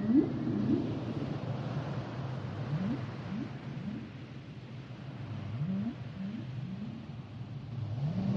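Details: Song of a humpback whale made of short, low, upward-sliding groans, delivered in quick clusters of two or three with pauses between, over a constant deep rumble of ocean noise.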